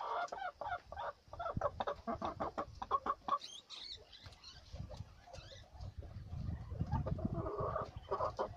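A guinea pig gives quick runs of soft, clucking chirps with a low rumbling undertone.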